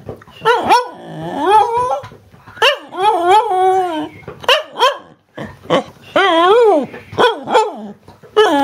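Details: Female Cardigan Welsh Corgi telling about her day in a long run of rising and falling, yodel-like harmonic moans mixed with short sharp barks, about a dozen utterances over nine seconds, with brief pauses and no other sounds.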